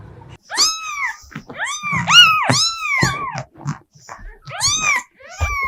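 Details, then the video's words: Pet cat giving a run of short arched meows, each rising then falling, several in quick succession with brief pauses, plus a few soft thumps and low rustles in a small indoor space. "Мысық дауысы | Meowing cats | Мяуканье кошек"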